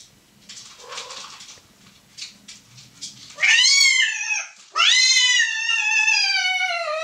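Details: Domestic cats Emil and Muffy mating indoors: after soft shuffling, two loud, harmonic-rich yowls, each starting high and sliding downward, the second longer and drawn out.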